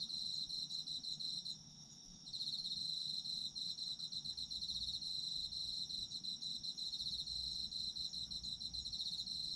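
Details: High, ringing trills from autumn insects fill the recording, a pulsed upper voice stopping briefly near the start before resuming at a fast, even rhythm over faint low noise.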